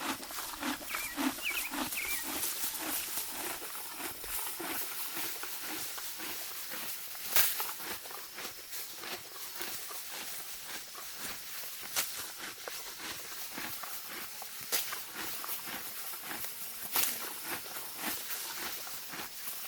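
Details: A Morgan mare grazes in deep spring grass, tearing it with steady crisp rips and crunchy chewing repeated about twice a second.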